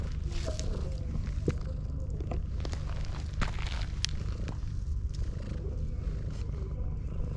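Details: Ginger tabby cat pushing a rival cat aside to keep a person to itself and seek affection. A steady low rumbling purr runs throughout without pause, with scattered soft clicks and rustles above it.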